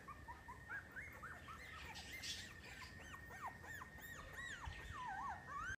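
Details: Miniature Schnauzer whimpering in rapid, looping high whines that rise and fall continuously, some sliding into longer drawn-out cries toward the end, over a constant faint hum.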